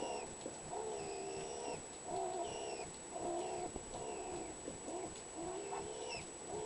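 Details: Skunk at a feeding window giving its strange voice: a run of soft, tonal, cooing calls with wavering pitch, each about half a second to a second long, following one another almost without pause over a faint, steady high whine.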